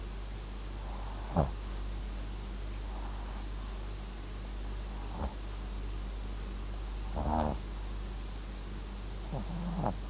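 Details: Sleeping Papillon and Japanese Chin mix dog named MAX snoring indoors: a few short, rough snorting breaths spaced several seconds apart, one longer rattling snore near the middle, over a steady low electrical hum.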